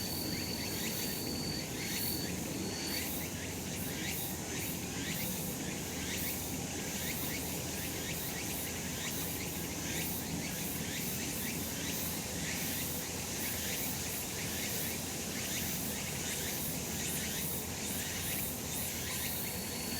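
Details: Cicadas droning on a summer mountain in sunshine: unbroken shrill buzzing made of fast rhythmic pulses, a high thin tone heard early on then fading, and a steady low rumble of surrounding noise throughout.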